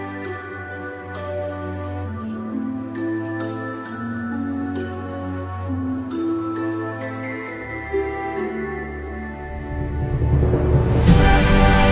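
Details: Soft, sad ambient music with chiming notes and sustained low tones swells into a louder noisy burst near the end.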